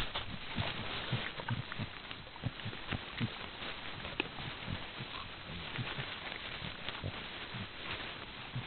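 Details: White-lipped peccary (Tayassu pecari), Brazil's largest peccary, giving low, rough grunts mixed with sharp clicking sounds over a steady background rustle.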